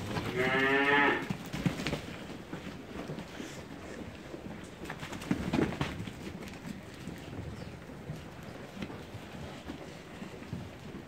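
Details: Rams held for sale: one loud, wavering, harmonic bleat lasting about a second near the start, then shuffling, knocking and hoof clatter from the animals for the rest.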